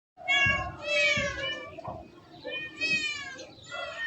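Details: Domestic cat from a compilation of funny cat moments, giving a run of four drawn-out, tonal meows within a few seconds, each rising then falling, the first two loudest, with slight background rustle.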